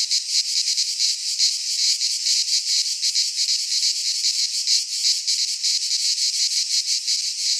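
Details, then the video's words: In a Greek pine forest at midsummer, cicadas keep up a loud rasping trill, high and metallic, with irregular surges in intensity layered over a constant buzz. "Cicadas singing in midsummer - Nature sounds from the Greek fauna - Sounds of cicadas"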